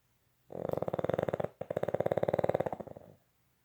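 A Boston Terrier snores in two long, rattling breaths, each a rapid buzzy flutter.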